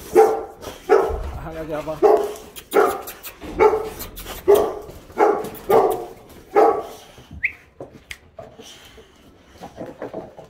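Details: Boxer dogs picked up at a dog daycare, excited before going home to be fed, giving a run of loud, regular harmonic barks about every three-quarters of a second, tapering into softer yips, with a person talking excitedly.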